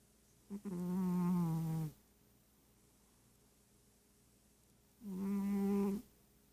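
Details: Sleeping cat snoring loudly indoors: two long, tonal, buzzy snores about four seconds apart, each over a second long, with strong harmonics, quiet in between.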